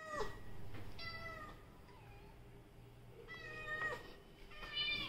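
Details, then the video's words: Pet Persian cats: three meows spread over five seconds, the first two short and bright, the last rising and more strained, with a quiet low hum between calls. "Persian cat vlogging"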